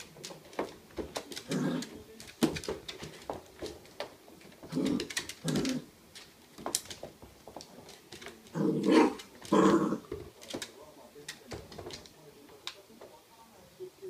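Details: Miniature Dachshund puppies react to a puzzle toy with brief nasal grunts, whines and soft growls in irregular, sometimes overlapping bursts. Clicks and taps fill the gaps in a small, quiet room. Filmed 16 September 2016.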